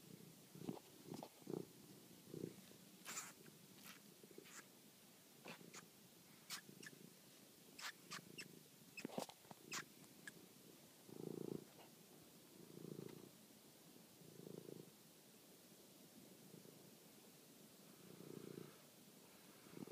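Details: Toby, a pet cat, at night while chasing and killing a mouse, recorded by phone; intermittent low purring bursts mixed with many sharp clicks and scuffling knocks, busiest in the first half.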